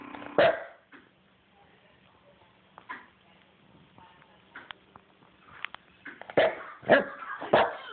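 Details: A dog makes odd, funny noises, recorded on a phone: scattered sharp yips and short squeaky sounds with quiet gaps, then a quick cluster near the end.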